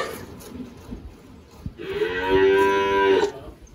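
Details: After a quiet moment, a single firm, level moo of about one and a half seconds from Girolando cattle on a farm in Anápolis, Goiás, Brazil, 1 March 2023.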